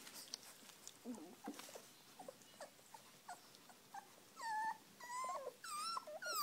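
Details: Puppies at feeding time whine and whimper, starting with low grunts and soft squeaks, then rising into loud, drawn-out wavering whines, several in quick succession toward the end.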